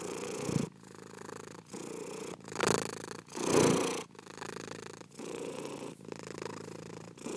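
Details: A domestic cat's low vibrating purr in breath cycles of about a second, with two louder swelling pulses of rubbing or movement noise early on.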